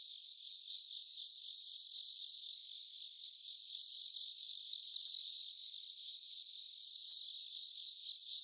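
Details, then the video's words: Bell crickets recorded live on 3 September 2023 around 3 a.m.: a clear high ringing trill in sustained bursts of about a second or more, pausing between, with a faint steady chirring underneath. "生録 スズムシ"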